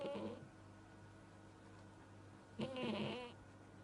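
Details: Alisa, a Siamese cat, snoring, which the owners say is rare for the breed: a short raspy breath opens, then after a quiet pause a longer throaty snore, over a faint steady hum.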